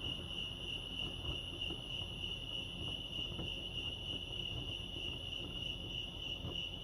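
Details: California crickets at Lake Arrowhead keep up an unbroken, finely pulsed high trill, constant in loudness, against a quiet low rumble of the surroundings.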